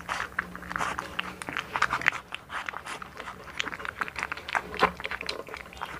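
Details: One-month-old blue American Bully puppy named Hunter, born November 18, 2019, in the Philippines, eating indoors in a small room: dense wet chewing, crunching and biting clicks, fairly steady throughout with brief pauses.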